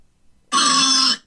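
A pig gives a single loud, harsh grunt lasting just over half a second.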